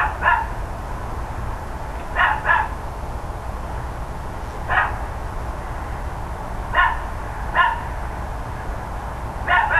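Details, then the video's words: Neighbours' dogs barking loudly on the morning of 13 October 2012, around 10 AM: short sharp barks, some single and some in quick pairs, spaced irregularly every one to two seconds over a steady low background rumble. "Barking Dogs Loud Neighbors"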